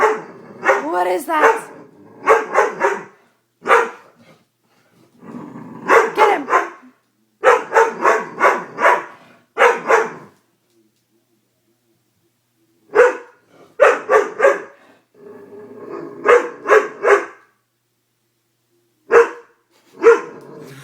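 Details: Doberman scared by a prank barks in irregular clusters of two to four sharp barks with long silent gaps, and a voice is heard at the start.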